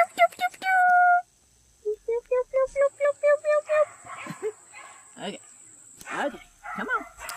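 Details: A litter of puppies: a few short tonal cries and a held whine, then a run of about nine evenly spaced, harmonic yelps, followed by thin, squeaky, downward-sliding whimpers.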